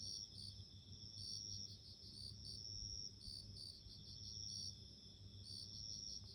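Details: Clear, bell-like high chirps from bell crickets, clustered ringing notes repeating irregularly roughly every second, with a soft low-frequency hum underneath.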